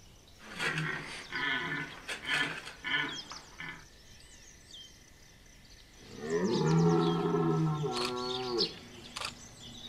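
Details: Red deer stag in rut at Chambord, France, September 2021: a string of short, gruff grunts, a brief pause, then one long, deep, throaty roar.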